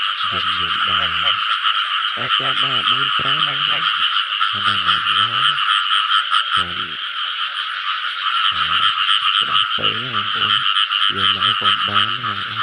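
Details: Rice field frog giving rapid runs of low, resonant, buzzy croaks with wavering pitch. The runs are separated by brief pauses and sit over a constant shrill background hum.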